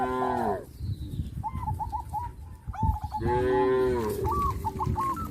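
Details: Tame village cattle from a herd that grazes green pasture by day and returns to the pen at evening, calling to companions: two drawn-out, falling, harmonic moos about three seconds apart, with small repeated bird chirps between.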